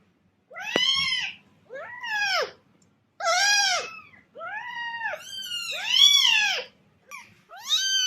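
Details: Series of cat meows meant to attract cats: seven bright, high arched calls roughly every second, each swelling and fading, with a faint low hum underneath.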